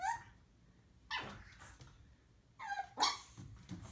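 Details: Puppy barks indoors: a few short high yaps with whiny tonal onsets, spaced about a second or more apart, low room rumble behind.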